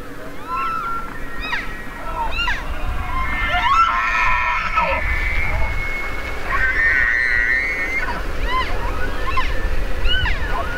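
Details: Bugling elk: long high whistles held steady mid-clip, interrupted by scattered short arched chirps before and after, over a constant low rumble.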